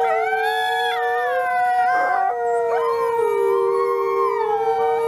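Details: Captive gray wolves at a wolf conservation center in South Salem, New York, howl in chorus on Christmas Eve, long steady tones overlapping, with some voices sliding up and down.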